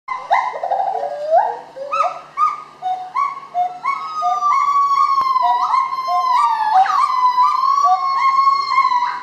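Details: Gibbons singing at Dusit Zoo in Bangkok, Thailand: loud whooping notes that rise in quick steps, then swell into a long stream of bright whistled hoots climbing and sliding in pitch, with overlapping voices.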